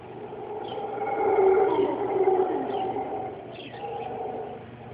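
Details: Howler monkeys roar in a backyard in Costa Rica at dawn, a deep, rumbling morning chorus swelling and fading, with faint bird chirps above.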